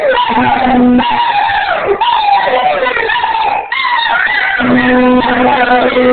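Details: Rhodesian Ridgeback Baloo howls along with a blown sea shell, joined by Rufus on the choruses: a long, wavering, sustained howl with brief breaks, set over the shell's steady low drone at the start and again near the end.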